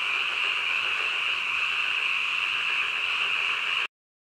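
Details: Frogs croaking late at night in a thick, steady chorus of high trills that cuts off abruptly into silence near the end.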